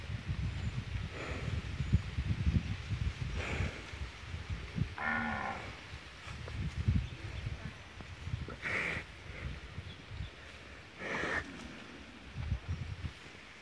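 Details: Female Peranakan Ongole cow lowing several times, with short harmonic moos spaced a few seconds apart over a steady low rumble of background noise outdoors.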